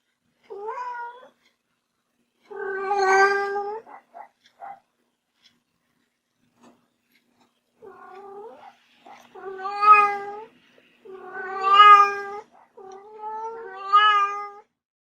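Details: Playful pet kitten giving a series of plaintive meows, short at first then longer and louder, several with a rising wavering tone, separated by brief silences with faint soft squeaks in between.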